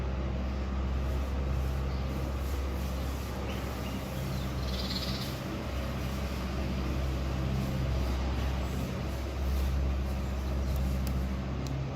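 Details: Low, steady rumble with broadband background noise and a few faint clicks; no animal voice stands out.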